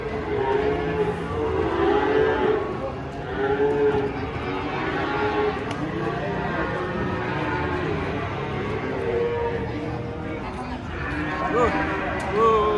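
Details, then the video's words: Cattle unloaded from a truck low repeatedly in long, droning moos that rise and fall gently, with people talking and calling out near the end. "SAPI RAKSASA LUCU TURUN DARI TRUK TUMPAH SEMUA"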